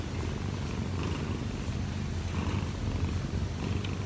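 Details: Odd-eyed Munchkin cat Kkobugi, aged one year and four months, purring while kneading on its owner in the morning; a deep, even purr with gentle pulsing rhythm fills the recording, plus brief soft rustles.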